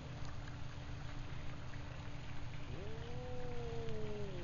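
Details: An F-1 Savannah cat, which swats a Rhodesian Ridgeback, gives a single drawn-out meow that rises and then slowly falls, over low rumbling noise.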